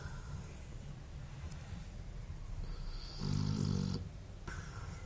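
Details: A sleeping Basset Hound snores with a steady, low, rattling rumble that swells into one louder, throatier breath.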